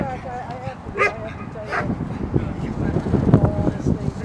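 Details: River, an eight-month-old female dog in club protection training and working on the jute wedge, gives two loud, abrupt barks early on. Speech and low rumbling follow through the rest.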